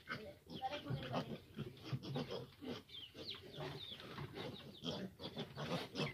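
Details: A sow strains to nurse her fifteen now-large piglets. Low grunting pulses mix with quick, thin squeals from the litter in steady, restless succession.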